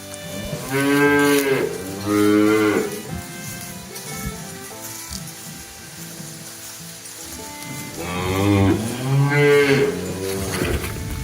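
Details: Indonesian village cattle plodding in a herd down a quiet road toward their pen after a day in the pasture; four deep, wavering moos arrive in two pairs, separated by a stretch of background music.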